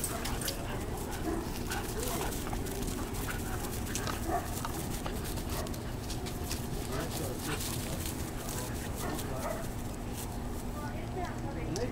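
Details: German Shorthaired Pointer puppies, 14 weeks old, at play: a continuous rough jumble of low growly grumbles, snuffles and scuffling, with occasional short whimpers over steady background noise.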